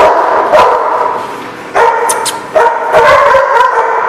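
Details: A crowd of dogs keeps up a loud, nonstop barking din of overlapping yaps and barks. The volume surges sharply near two and three seconds as fresh barks break in, and the sound is heavily saturated throughout.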